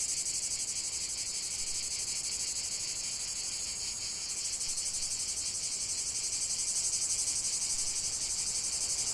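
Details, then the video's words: Massed cicadas buzzing shrilly and without pause, the throbbing drone swelling slightly midway, with no other animals or people. "45 min de chant des cigales"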